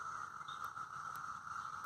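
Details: Cicadas mating in neighbourhood trees drone in a steady, unbroken, martian-like buzzing whine that holds one pitch throughout.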